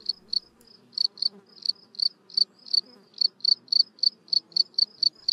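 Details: A male field cricket in a garden on a warm spring day gives soft, high stridulating chirps in quick irregular bursts, courting a female hidden in her narrow ground burrow who is not yet willing to mate.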